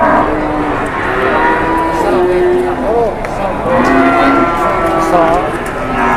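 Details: An angry cow on the rampage and charging while people bargain over livestock. It gives one long, low, steady moo near mid-clip, with some voices and a rough outdoor hum around it.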